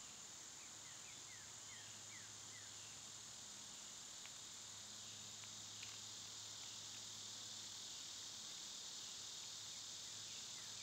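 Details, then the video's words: Cicadas in summer, a steady, unbroken high-pitched buzzing drone filling the whole recording, with faint, short descending bird chirps repeating in the background and a low continuous hum underneath. "Birds & Squirrels w/ Cicada sounds"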